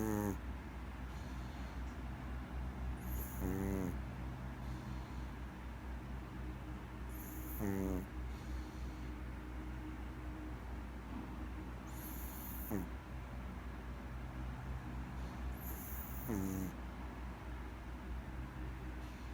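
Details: Maltese dog asleep and snoring, buzzy rasping inhalations with stacked tones recurring about every four seconds, each followed by a soft airy hiss, over a steady low indoor hum.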